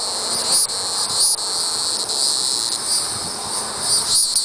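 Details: Calling hieroglyphic cicada, Neocicada hieroglyphica hieroglyphica, giving a continuous high, hissing buzz with brief dips roughly every half to one second, steady loudness throughout and a light low background hum.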